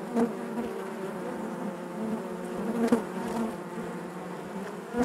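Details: Honey bees buzzing inside their hive: a dense, steady drone of many overlapping wingbeats, with low hum bands and brief louder swells as individual bees pass close, at about 0.2, 2.9 and 5 seconds.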